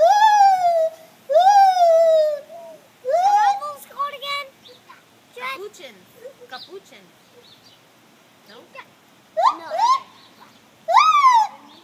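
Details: Gibbons singing in the morning: loud, clear hooted notes that slide down, then rise sharply, coming in bursts with quieter wavering calls between them.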